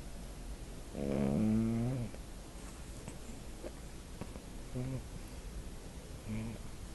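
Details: Snoring puppy asleep, captured on a phone; one long, rising, whiny snore near the start, then softer short snuffles and two brief faint tonal squeaks.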